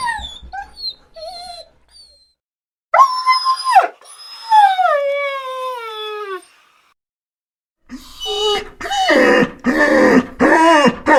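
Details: A dog whines in high, thin notes, then gives long drawn-out whines that slide steadily downward. After a silence come loud, rough, strained whimpering cries in quick succession.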